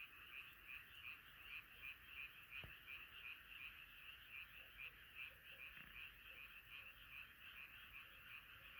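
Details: Chorus of frogs calling at night; bright, repeated croaks about three per second ride on a continuous dense chorus, with a short sharp tap early on.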